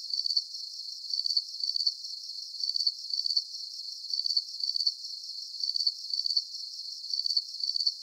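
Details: Crickets at night as a calming sleep soundscape: high, bright chirps of several rapid pulses repeated about twice a second in a steady rhythm. The recording is clean, with nothing else heard and all low sound filtered out.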